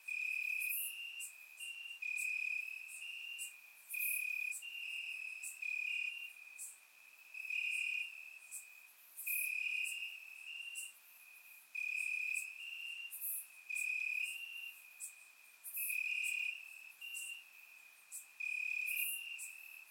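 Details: Several crickets sing in grass on a warm Bulgarian summer night; a continuous high-pitched trill runs beneath loud chirp bursts that come in regular groups about every second, recorded in surround sound.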